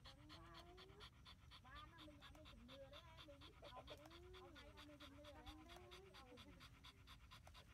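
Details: Miky, a female pet husky, outdoors in strong wind just before rain and said to enjoy the windy weather, pants rapidly and steadily, about two breaths each second, while a thin wavering whine rises and falls over the panting.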